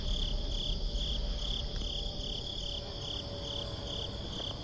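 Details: Crickets on a breezy summer night, a steady series of high, pulsing chirps repeating several times a second, with low wind rumble underneath.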